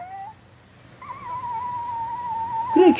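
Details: A pet Shih Tzu indoors, from a household of a mother Shih Tzu and her puppies, gives a long, steady, high whine lasting nearly two seconds after a short opening note, ending in a brief louder sound, over low room hum.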